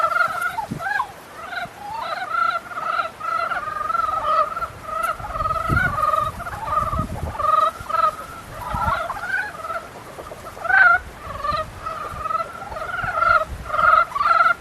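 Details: A near-continuous chorus of rattling, nasal croaks from frogs in mating season, calls overlapping and following one another with barely any gaps, a few low knocks underneath.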